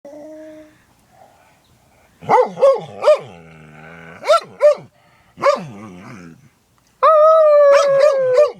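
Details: Dog howling while sneezing: wavering, tonal howls broken up by short, explosive bursts, several rising-and-falling yelps in quick succession, then a long sustained howl that slowly drops in pitch at the end.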